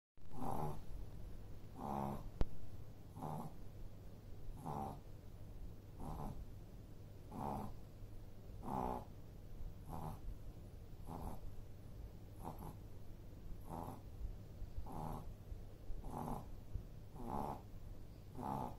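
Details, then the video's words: Shih Tzu puppy, 111 days old, named Snoopy, snoring steadily with soft breaths repeated roughly every one and a half seconds, a low hum running underneath throughout. "Shih-Tzu Puppy || Snoopy 2.0 || 111 Days Shih-Tzu Puppy"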